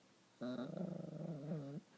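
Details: Female dog, angry after another dog stole her chew toy, giving a steady, tonal, moaning growl held for about one and a half seconds, wavering slightly in pitch, in a quiet room.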